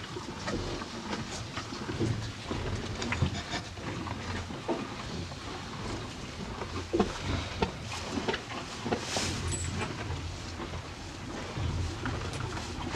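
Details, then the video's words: A pair of farm cows feeding on hay, heard as continuous dense rustling and crunching with scattered sharp crackles and a constant low rumbling background. "TWO CUTE COW EAT HAY!"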